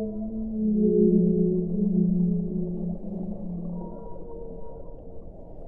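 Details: Singing whale: one long, rich, harmonic moan that swells, holds and sinks gently in pitch over about four seconds, with a thin high tone trailing after it, set against a constant low hiss.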